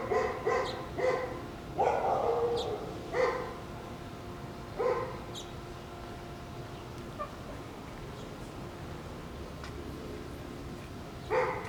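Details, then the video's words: Two Shiba Inu puppies playing over a bone give sharp, high-pitched, fox-like yelping screams in short ringing bursts with brief pauses between. "Shiba Inu puppies act like foxes with strange scream sounds"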